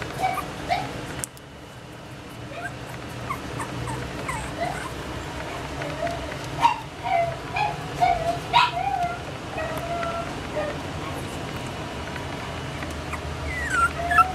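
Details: Pomeranian giving thin, high whining whimpers and short sharp yips, irregular and several per second in bursts, with sliding tonal whines toward the end over a steady low background hum.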